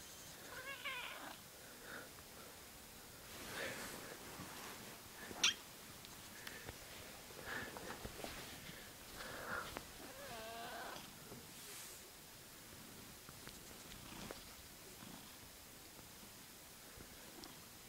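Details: Odie, a pet cat playfully fondled indoors, makes several soft, wavering meows scattered through the stretch, some drawn out and bending in pitch, with rustling, handling sounds and a person's occasional quiet voice.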